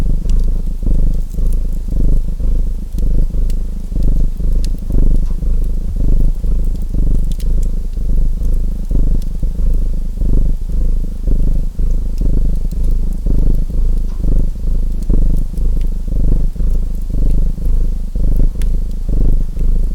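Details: Continuous low purr of a domestic cat, rumbling in regular breathing cycles about once a second, set against the intermittent crackle and snap of a wood fire.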